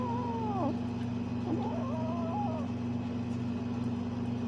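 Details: A Bengal kitten at play gives a few soft, descending and wobbling meows in the first three seconds, followed by quiet, with a constant low hum in the background.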